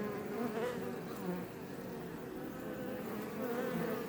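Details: Iberian honey bees flying around a Langstroth beebox near Roquetes in south Tarragona, Catalonia; continuous droning buzz with shifting, overlapping pitches as individual bees pass close, level fairly constant throughout.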